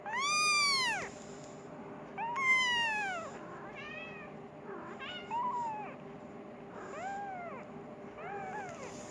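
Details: Persian kitten meowing for its mother and wanting food, indoors; high, arching harmonic-rich meows, some loud and long, others short and softer, about six in nine seconds, with a steady background hum.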